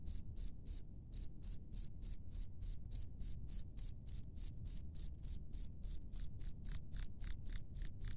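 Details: Chirping cricket out in nature: bright, high-pitched pulses repeated about three times a second, with a short gap early on, then a steady unbroken train over quiet low background noise.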